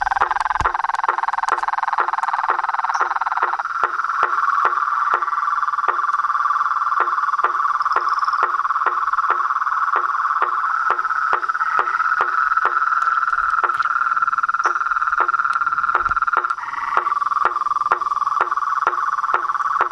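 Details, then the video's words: Toads, frogs and treefrogs calling at dusk from a reservoir pond in front of a house veranda, a nightly chaotic chorus: steady dense trilling hum under sharp knocking pulses repeating about twice per second throughout. "A SINFONIA DOS SAPOS, RÃS E PERERECAS"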